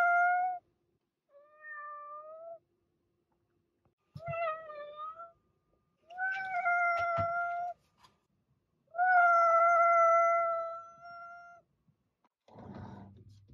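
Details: Series of cat meows, short and long, one stretching over two seconds, with a few clicks and a low rustling noise near the end.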